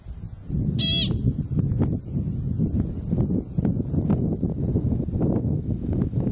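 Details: American pika (Ochotona princeps) calling out in Kokanee Glacier Provincial Park, British Columbia: one short, sharp, nasal squeak lasting about a third of a second, rich in harmonics, over a steady low rumble of wind and rustling.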